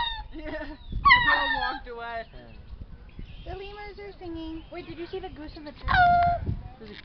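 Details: Zoo lemurs calling suddenly and at random: a run of loud, overlapping, harmonic wails and honks that rise and fall, with a final strong falling cry, over a low background rumble.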